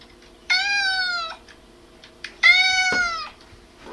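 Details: Cat meows heard by a goldendoodle, which reacts with head tilts: two loud, long, slightly falling meows about two seconds apart, each near one second long, with a faint click between them and a quiet hum beneath.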